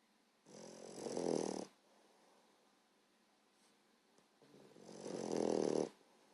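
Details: A 14-week-old female English Bulldog puppy snores very loudly in two long, rough, rattling breaths with a quiet pause between them.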